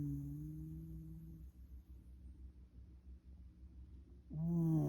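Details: Former rescue Shiba Inu asleep. A low droning snore fades out over the first second and a half, followed by quiet soft breathing, then a loud buzzing snore starts near the end.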